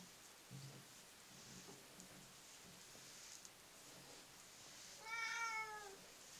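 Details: Female Russian Blue cat, a rescued street cat, gives one drawn-out, slightly falling meow near the end, after several seconds of quiet indoor room noise and faint rustling.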